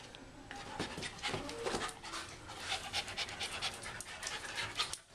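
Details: Quick, breathy panting from a spunky one-year-old female terrier mix awaiting adoption, the rapid puffs running on with uneven loudness and a brief drop in sound at the very end.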